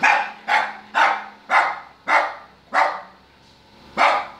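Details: Shero, a Lhasa Apso, barks because it wants to get in the car: seven sharp, bright barks at roughly half-second intervals, with a longer pause before the final bark.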